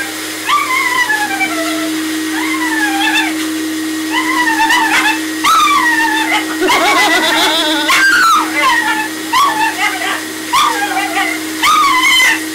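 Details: Zac, a Maltese cross dog, unhappy during his first hydrobath, gives a long series of drawn-out, arching whines and wails, repeated nearly once a second, over the steady hum of the bath motor and running water.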